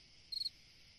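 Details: A single cricket chirp on a summer night, one high trill of four fast pulses lasting under a quarter second against a faint constant hiss.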